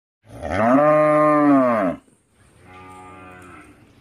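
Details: Cow in a village giving one loud, long, harmonic moo lasting about two seconds, followed by a quieter, softer moo.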